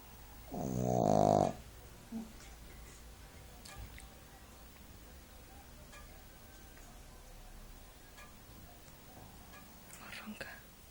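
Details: Napping Shih Tzu snoring like an old man: one loud, buzzy snore near the start lasting about a second, then mostly quiet room hiss with a few faint clicks and soft breaths.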